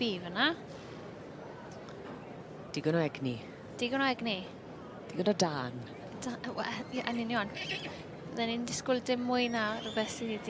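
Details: Welsh Cob youngstock at a championship show give several wavering, shaking whinnies that rise then fall, scattered through ten seconds, with a woman's voice, crowd chatter and other showground noise.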